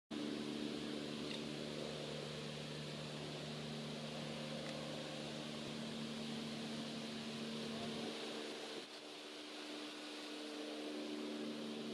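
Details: A steady mechanical hum, like an engine or fan with tonal harmonics, runs throughout, its low rumble dropping away after eight seconds; no animal calls are heard.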